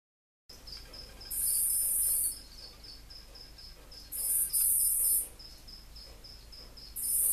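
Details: Angry dragon-headed katydid (Eumegalodon/Lesina) giving loud, harsh, hissing rasps about one second long, three bursts in all, over a steady, quick, high chirping in the background.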